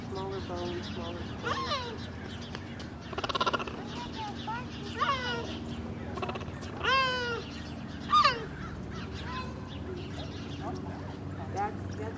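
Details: Stutter-barks from a cheetah at San Diego Zoo Safari Park, 17 November 2021, calling after a lion roar while searching for cubs: bright, yelping barks rise and fall at irregular intervals, mixed with visitor chatter and low ambient hum.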